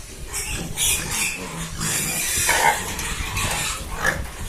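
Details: A pig being given rice gives rough, harsh grunts and noisy snorts in uneven bursts.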